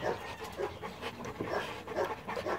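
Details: South African Boerboel dog panting: quick, breathy, rhythmic huffs about two per second, each a short burst of airy noise, with no other clear sounds.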